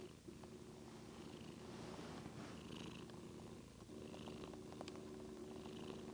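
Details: Sleepy house cat Daisy gives a steady, even purr indoors, a low vibrating drone with a brief dip midway as she breathes, faint room noise behind.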